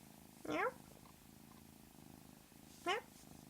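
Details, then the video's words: Pet cat with a strange, alien-like call compared to the creatures in the movie Signs: two quick, squeaky upward-gliding chirps, roughly two and a half seconds apart, with a quiet purr between them. "Funny kitty sound"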